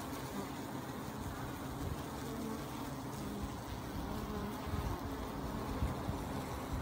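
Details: Honey bees in a thick, constant deep hum of massed wings, slightly louder toward the end, with no other clear sounds.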